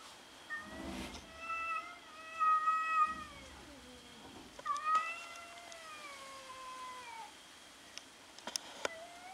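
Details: Kitten kept at home, not getting along with the yard cats, uttering several long harmonic meows that hold level then slowly fall, with thumps and clicks between calls and a faint steady high tone behind.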